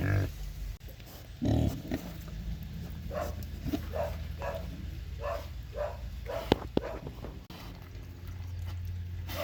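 Domestic pig giving short, low grunts in a quick repeated series over a steady low rumble.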